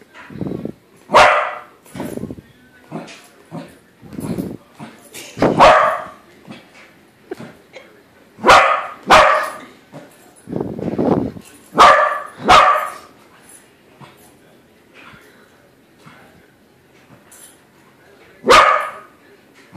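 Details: Pet corgi barking at a corgi-shaped balloon as it discovers the balloon dog isn't real: a long run of sharp, loud barks in irregular bursts, some paired, with quieter yips and faint human voices between them.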